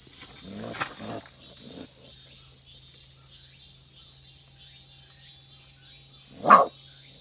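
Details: Raccoon (Procyon lotor), bark.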